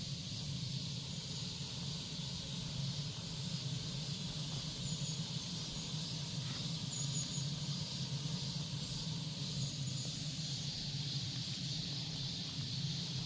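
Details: Cicadas in Korea keep up a continuous shimmering buzz, even and unpulsed for the whole stretch, over a constant low-pitched background drone.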